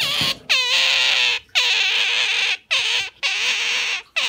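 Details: Captive Asian small-clawed otter hugging its owner's arm with a strong grip, producing repeated piercing squeals of roughly one second each, starting with a quick rising sweep, with short pauses between them.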